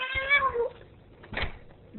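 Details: Ragdoll cat, female, arguing back at her owner who is leaving; a short, bright meow that slides downward, followed by a knock and the owner pleading to be let go.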